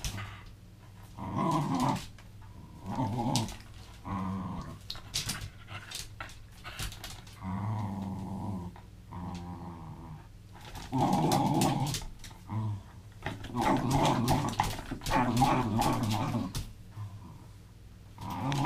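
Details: Welsh terrier playing with a rope indoors, giving bursts of low rumbling growls that rise into harsher snarling tugs, with pauses between bouts and light knocking and rustling of play in a small room.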